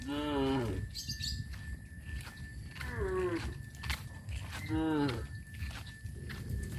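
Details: Tame village cows moving to a grazing field, calling three times with bellowing moos about two seconds apart, amid outdoor rural noise and a faint steady high tone.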